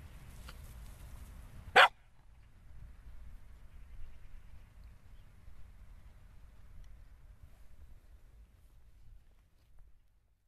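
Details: Cocker Spaniel, filmed rolling and chewing, gives one sharp, loud bark about two seconds in. Faint low rumbling continues before and after the bark, with no other clear sounds.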